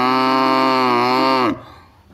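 A cow gives a loud, steady, nasal moo that drops in pitch as it ends.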